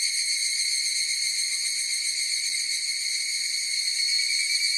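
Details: Higurashi cicadas sing together in a dense, unbroken high-pitched ring, layered and shimmering, holding at an even loudness throughout with no pauses and no other noises.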